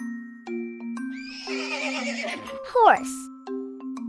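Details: Horse neighing: a shaky, quavering whinny of about a second that ends in a short, sharp downward snort. A soft children's melody plays throughout.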